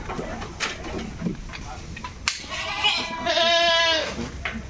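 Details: Goat bleating while being sent off in a shipment from a farm: after scattered clatter and knocks comes one long, quavering, nasal bleat in the second half.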